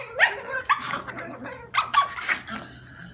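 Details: Pet dogs in Veracruz, 2017, giving a quick run of short, sharp barks and yips, four or five bursts within three seconds.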